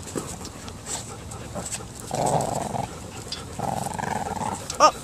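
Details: Female Shih Tzu puppy, six months old, growling while playing tug in a training session: two sustained rough growls, each about a second long, separated by a pause, ending with a sharp sound.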